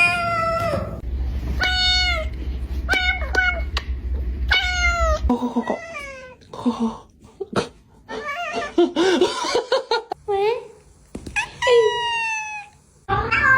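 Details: Domestic cat giving a string of high, clear meows, each short and slightly falling, repeated every second or so. Softer human voices and brief laughter come in midway, and a low hum sits under the opening seconds.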